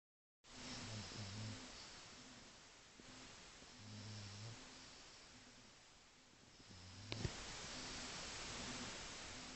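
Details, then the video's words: French Bulldog snoring, recorded on an Android phone: low rumbling snores repeated every few seconds, each a short buzzy pulse, over steady broadband hiss with a brief click near the end. "Snoring french bulldog"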